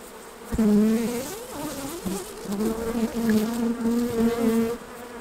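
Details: Honey bees around hives while honey is being taken off for harvest; a steady, low droning buzz rises and falls as bees fly close past, with a sudden knock at the start and shifting pitch throughout.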